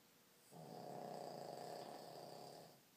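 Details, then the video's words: A tired Boston Terrier, asleep, gives one long, rasping snore that swells and fades over about two seconds. "Tired Boston Terrier"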